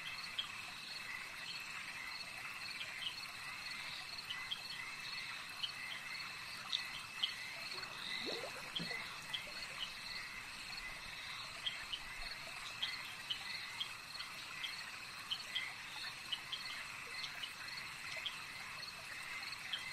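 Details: Frogs calling at a lake: short clicking, croak-like pulses repeat irregularly through a dense, steady high insect-like drone, with one brief low swooping call near the middle; quiet, even night ambience.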